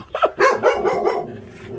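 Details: Rescued stray dog being moved by volunteers from the Narae-ul Center in Ulsan, South Korea, gives a quick cluster of yelping barks that fade into a short rough tail.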